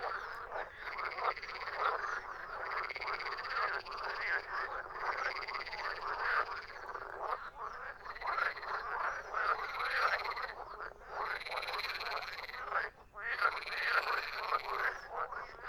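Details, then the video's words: A loud chorus of frogs croaking, rasping pulsed calls repeating in overlapping waves roughly every two seconds, with a brief silent gap partway through and no other clear sounds. "Frog sound effect / Verso rana / Frogs croaking / Verso della rana"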